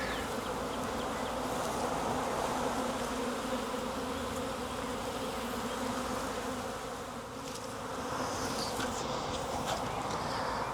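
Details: Wild honey bee swarm hanging from a tree branch, being collected into a 5-frame nuc box: a dense, steady droning hum with a low, even pitch that holds unbroken for the whole stretch and dips slightly in loudness near the end.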